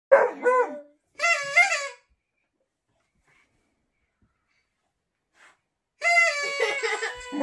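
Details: A Beagle gives wavering, drawn-out 'aroo' howls in a noise-making contest, trading bursts with a man howling back.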